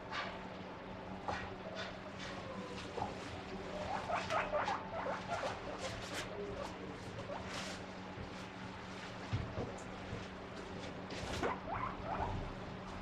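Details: A guinea pig gives bursts of short, high, rising squeaks over a steady low hum, begging for food when the fridge door opens, since it knows its favourite vegetables are kept inside.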